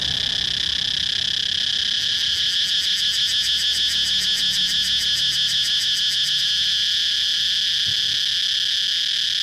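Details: Steady, shrill cicada drone that swells into a fast rhythmic pulsing in the middle before settling back into an even, continuous buzz.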